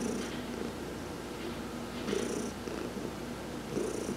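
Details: Sun-bathing adopted cat Heidi purrs under massage on November 19, 2020; low, even rumbling with louder breathy pulses near the start, middle and end.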